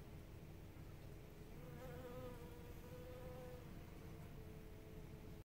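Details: Blue-banded bee, a solitary bee, among nodding violet blooms: a droning buzz that swells in pitch and loudness midway, then settles back to a softer steady hum over low background rumble.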